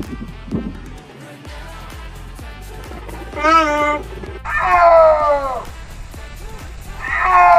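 An adult cheetah gives short, tonal, slightly falling yelps over a steady musical beat.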